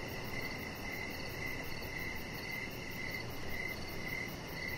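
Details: In the evening outside on a deck, crickets give rapid high chirps in regular succession, roughly two to three per second, against a dull continuous low-pitched hum.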